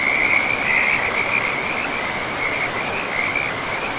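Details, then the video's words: A near-continuous high trill from frogs beside a forest river, wavering slightly in pitch, with the broad hiss of flowing water beneath. "River and Frogs sleep sounds"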